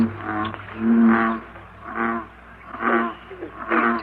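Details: American bullfrog advertisement call, the deep jug-o-rum sound; low, resonant droning notes with rich overtones repeat roughly every second, four or five times in a row.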